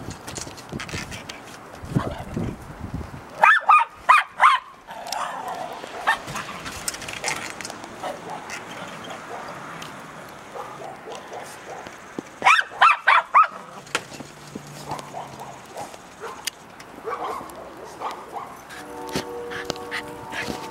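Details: Cairn Terrier in Colorado during a four-day blizzard in 2013: two clusters of short, sharp barks, about four quick barks each, separated by stretches of windy, rushing background noise, with a steady humming tone near the end.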